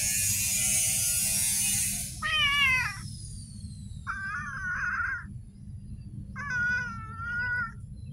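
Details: Street cat meowing, three clear harmonic meows of about a second each at two-second gaps, the first rising then falling, after a loud hiss of noise in the opening two seconds; low rumble throughout.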